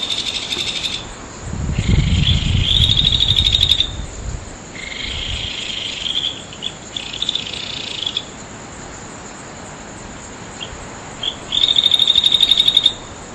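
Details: Insects on Amami Ōshima, Japan, at Nagahama in Naze, full-moon night of 14 August 2011: rapid pulsed trills and buzzy bursts come in several bouts separated by pauses, over a constant thin high tone and an early low rumble.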